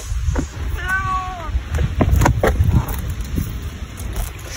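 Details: Domestic cat, described as very kind, meowing toward the person filming: one short harmonic meow that arches and falls, over steady low rumbling and scattered clicks.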